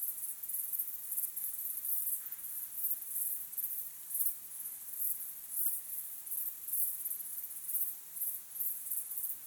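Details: Crickets chirping at sunset, a natural evening recording: a dense, very high, shimmering trill that pulses in soft bursts about every half second, steady throughout with no other clear sounds.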